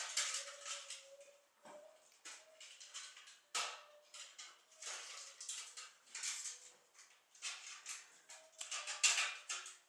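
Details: Seven-week-old Keeshond puppies of a fresh litter give thin, steady whining tones between scratchy, clattering yips and rustles, the bursts coming irregularly every second or so.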